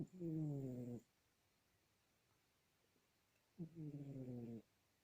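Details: Sasha the cat snoring: two deep, rasping, harmonic breaths about one second long each, the second arriving after roughly two and a half seconds of quiet, in a still indoor setting.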